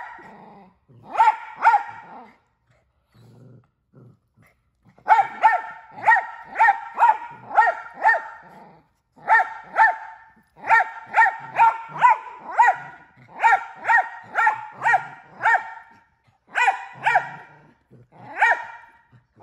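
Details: A Miniature Australian Shepherd barks in rapid, sharp bursts, more than once a second, sustained over minutes.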